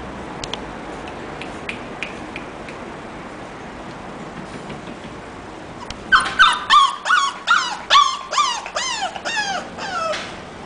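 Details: English bulldog named Coraje giving a quick run of about ten high, whining yelps after six seconds of quiet. Each cry slides downward in pitch with a rich harmonic edge, repeated roughly twice per second, over faint background hiss.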